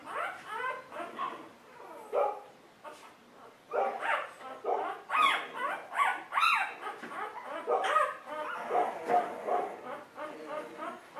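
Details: Golden Retriever puppies in a litter yelp and whine together, overlapping high-pitched cries coming thick and fast, with a brief quieter gap before a busier, denser chorus.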